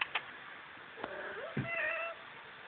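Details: Domestic cat giving a short meow, a wavering tonal call with rising then falling harmonics lasting about half a second, preceded by a few faint clicks and a brief soft voice.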